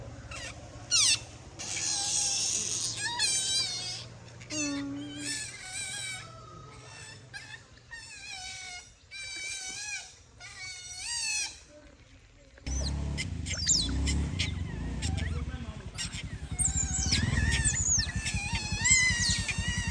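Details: Playful otters calling by day: a long run of quick, high, whistled chirps with bending pitch, rising and falling in rapid series, followed by loud rumbling noise and continued squeals mixed with other sounds.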